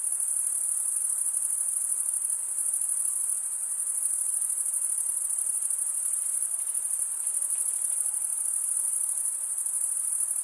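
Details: Crickets, males stridulating by rubbing one wing along the toothed vein of the other, keep up a dense, continuous high-pitched trill that barely varies, with faint broadband hiss beneath and no other animals or voices.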